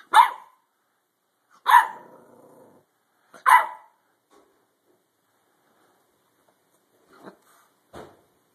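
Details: Three loud, abrupt barks from a dog, spaced roughly every 1.7 seconds. A brief rumbling growl trails the second bark. Faint knocks follow near the end.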